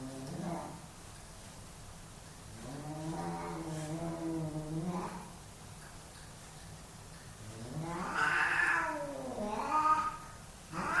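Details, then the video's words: Low growling moans from two male cats fighting for dominance at home, a deep sustained yowl in the first half, then louder rising shrieks and wails near the end. "My cats fighting for dominance!"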